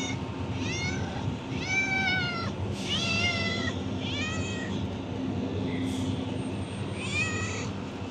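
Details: Hungry, friendly stray cat being fed, Kadayanallur, Tenkasi: five loud, drawn-out harmonic meows, each rising then falling, spaced irregularly about a second apart, with a faint sixth cry, over steady hum and traffic hiss.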